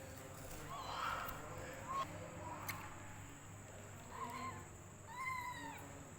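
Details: Hungry female rescue kitten drinking milk from a bottle, giving four short, whiny mews over about six seconds, some arching up and down in pitch, with pauses between, over a steady low background hum.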